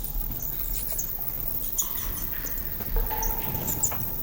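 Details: Shrill, harsh, discordant squeaks from dozens of horseshoe bats waking and leaving a cave at dusk, with a soft fluttering of wingbeats as the bats swirl around the microphone.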